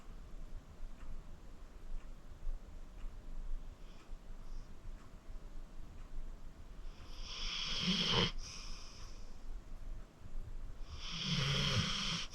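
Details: Acorn, a 14-year-old rescued pit bull from the Cuyahoga County Animal Shelter, in deep sleep indoors: quiet breathing, then two loud raspy snores, each a broad hissing rush with a low rumble underneath.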